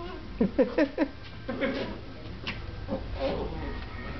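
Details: Two Dachshunds at play indoors, the younger sister beating up on her older brother: four quick grunting play growls in a row, then looser scuffling vocal noises and softer growls trailing off.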